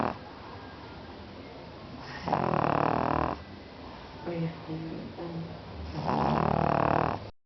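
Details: A sleeping pug snoring: two long, loud, rasping snores with a harmonic buzz, separated by quieter breathing and faint rustles.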